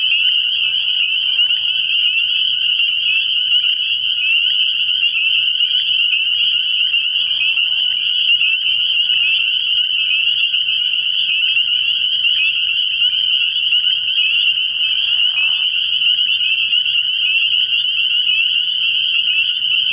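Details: Early-year frog pond at night full of spring peepers, their high shrill peeps forming a constant ringing drone, with occasional soft lower croaks briefly showing beneath.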